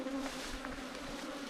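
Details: Swarm of small wild ground bees, a hard-to-find cavity bee nesting underground or in termite mounds, disturbed by honey hunters in Thailand; a constant even drone holds steady throughout, with faint handling noises.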